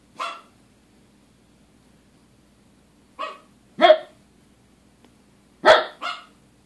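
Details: Pair of dogs barking at nothing inside; one bark, a pause of three seconds, then a quick double bark and another close pair near the end, over a faint steady hum.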